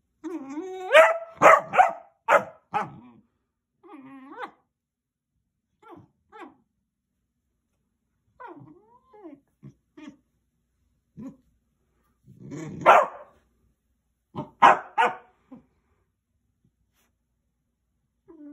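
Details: Basset Hound puppy wanting play, opening with a rapid string of high barks, then quieter whines and grumbles scattered through a long lull, before another burst of barks near the end.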